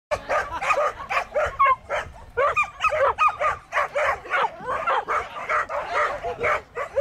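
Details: Border collie barking excitedly: a fast, uneven volley of sharp, high-pitched yips and short yelps, some with a quick rising-falling whine, packed closely together with barely a gap.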